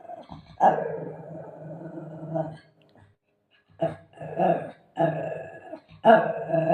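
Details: Shih Tzu growling and barking in play with its owner; long rough growl, then a pause, then several loud gruff growl-barks in quick bursts.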